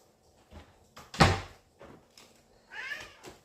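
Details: Male house cat meows indoors: a thump early on, then one short, rising and falling meow, with a person talking to the cat just before and after.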